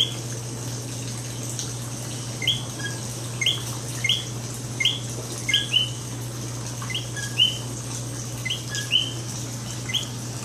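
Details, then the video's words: Common coqui frogs in San Juan, Puerto Rico give repeated two-note 'co-qui' calls, a short note then a rising whistle, over a low hum. "Coqui Sounds at Beginning and End 1 of 4"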